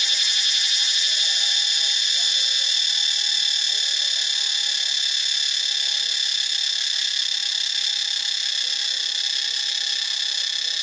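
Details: Shrill, continuous cicada drone recorded at Ubon Ratchathani, Thailand, a high hissing buzz that holds an even, unbroken loudness throughout, with a faint fast pulsing texture.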